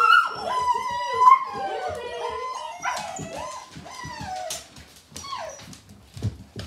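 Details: Seven Gerberian Shepsky puppies meeting a new tunnel. Thin whining cries waver and fall in pitch, several pups calling over each other, then fade into softer whimpers with scattered short yips.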